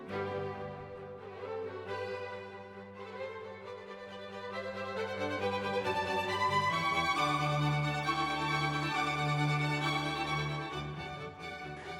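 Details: Bowed strings, violin and cello, play a sustained, harmonically rich melody over a steady low line. No animal sounds are heard.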